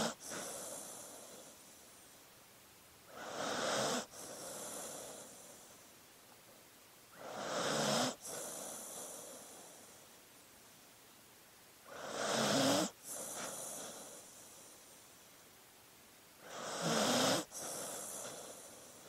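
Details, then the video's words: Sleeping dog breathing heavily: soft hissing breaths rising into louder breathy snorts roughly every four to five seconds, with quiet pauses between. "Sleeping Dog Sounds"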